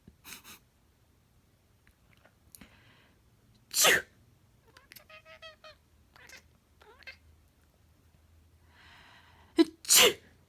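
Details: Yoshi, also called Flapso, a black female pet cat, chatters right after a person sneezes: a sharp human sneeze, then about two seconds of quick chirping, trilled chatter and a few short calls, followed by two more loud sneezes.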